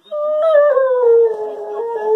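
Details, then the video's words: Weimaraner and German Pointer cross dog 'talking' to its owner in a daily monologue, a tonal howling vocalisation sliding slowly downward over two seconds with clear harmonics, owner speaking around it. "Doodle the talking dog"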